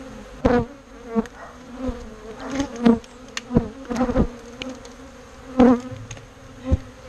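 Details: Bees being relocated from a birdhouse into a bee box keep up a constant droning buzz, while loud repeated thumps and clatters of handling punctuate it about once a second.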